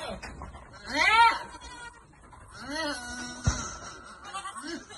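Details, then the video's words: Farm goats during a vitamin feeding, two quavering bleats about two seconds apart, one loud and rising then falling, the second softer, with human voices and a sharp knock in the background. "Goat farm @pagbibigay ng vitamins sa mga kambing"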